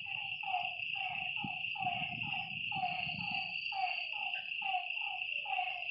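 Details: Night-time frog calls at a lakeside: repeated short descending croaks from several animals, about two per second, with a high insect drone and a low rumbling noise underneath.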